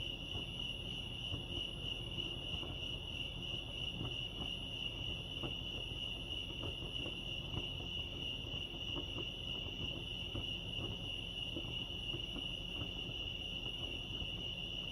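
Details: At Lake Arrowhead, California, crickets keep up a constant shrill chirping on a single high note, never pausing, over a low murmur of ambient noise.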